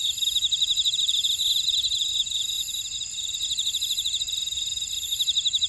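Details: Grassland insects calling in a buckwheat field at Ora-dong, Jeju City, on Jeju Island, South Korea: a dense, high chorus of steady ringing trills with pulsed chirping layered over it, no other sounds.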